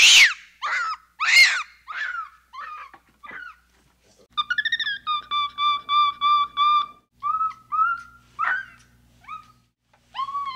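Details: Capuchin monkey calling with a string of sharp, descending harmonic chirps, then a run of steady, flat, evenly spaced tonal notes held at one pitch, closing with a few rising squeaks; a faint low hum runs beneath the middle section.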